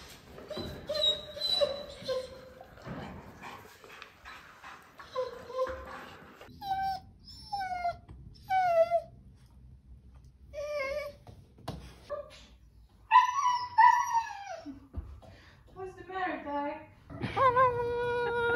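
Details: Tiger, a talkative pet German Shepherd, vocalizing in his own way indoors: a scattered run of short high yips and squeaky whimpers, some bending up then down, ending in a louder wavering whine.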